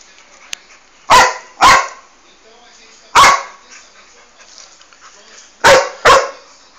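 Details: Boxer facing off with a calango lizard in the cerrado, giving loud, abrupt barks, two quick pairs and one single bark, separated by short silences with faint background noise.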